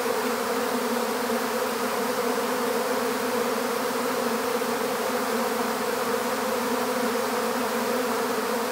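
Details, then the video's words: Swarm of honeybees captured in an empty bee hive, giving a thick continuous buzzing drone, even in loudness throughout, with a rich band of overtones. "How to Capture a Honeybee Swarm"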